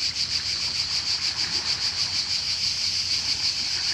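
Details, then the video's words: Cicada in Croatia near the sea, piercing buzz throbbing in quick regular beats about four per second, low wash of waves behind. "Cicada (Cicala) and wave sound in Croatia"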